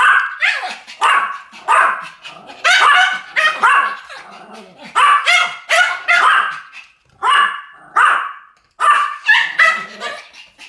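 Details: Pomeranian dogs in a duet of barking: high, sharp yaps in quick bursts, often two voices overlapping, repeated roughly every half second with short pauses between volleys.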